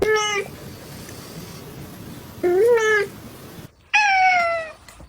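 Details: Domestic cat meowing loudly and dramatically indoors when she sees soap: three drawn-out, harmonic, whiny meows, the first two short and rising, the last longer and slowly falling, with soft room noise between.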